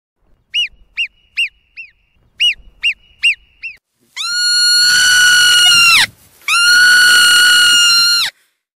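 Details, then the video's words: A marmot gives clusters of brief, bouncing chirped whistles in two groups of four, then two drawn-out, shrill, even-pitched whistles with a short break between them. "Świstak. Odgłosy Świstaka. Dźwięki Świstaka. Odgłosy jakie wydaje Świstak. Jak robi świstak?"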